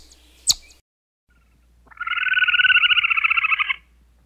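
A chipmunk gives a rapid, high-pitched trill of chittering pulses lasting almost two seconds.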